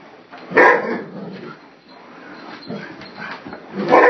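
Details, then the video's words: Gryphon, a pet dog, barking at a vacuum cleaner indoors: a loud bark near half a second, softer yips in the middle, then another strong bark at the end, with faint household noise underneath. "Gryphon Barking at the Vacuum"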